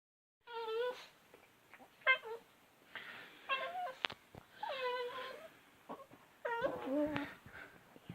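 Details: Bailey, a female domestic cat being chatty at night, gives a string of short, clear meows and trills, several bending up then down, coming in bursts every second or so with soft clicks and quiet gaps between.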